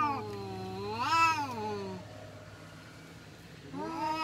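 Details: Fighting village cats: a quieter, rising-and-falling wailing howl, then a pause and another moaning yowl starting, over a low steady hum.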